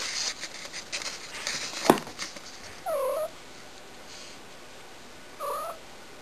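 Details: Shy, a pet cat indoors, described as being annoying, gives two short arched meows about two and a half seconds apart. A single sharp knock comes before them, over a faint steady hiss.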